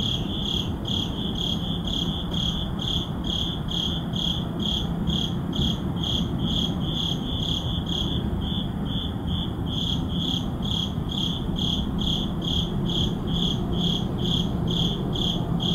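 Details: Midnight cricket chorus in an urban neighborhood, captured with an ECM-M1 mic: regular high-pitched chirps, roughly two a second, a second caller briefly overlapping midway, over a low steady traffic drone.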